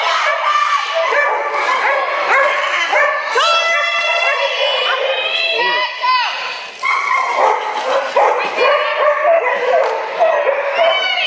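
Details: Many dogs yipping and barking through a flyball race at the Spring Fling Flyball Tournament, Dover, New Hampshire, April 2011; piercing repeated yelps and whines, some rising, with steady crowd talk and announcements in the arena.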